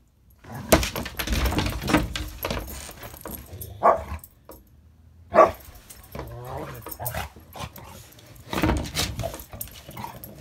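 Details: A Border Collie cross and a Rottweiler romp together indoors, with a few sharp, loud barks spaced seconds apart, brief low grumbles, rustling and a human voice in the background.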